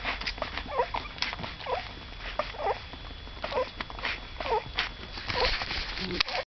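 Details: Cocker spaniel puppies, the second litter of a female named Saga, give short high whimpering squeaks about once a second, overlapping and uneven, with a constant faint hiss and low rumble beneath.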